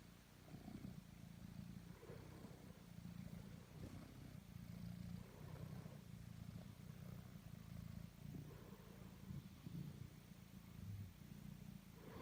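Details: Totto, a pet cat, purrs as it kneads; a deep, even rumble rising and falling in waves over twelve seconds, with light rustling.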